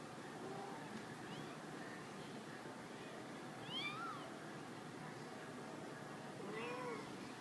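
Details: A litter of 15-day-old kittens, up and moving about, gives three thin, high mews, each arching up and falling with clear overtones, spaced a few seconds apart over a steady background hiss.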